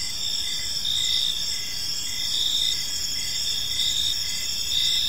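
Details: Evening park chorus of crickets, a continuous high-pitched trilling with soft rhythmic swells about every second, layered over faint low background noise.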